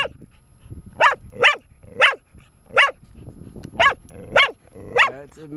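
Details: Four-year-old female dog Bear keeps barking as her owner teases her; eight sharp barks at roughly half-second intervals, the last trailing into a slight whine, with a man talking faintly.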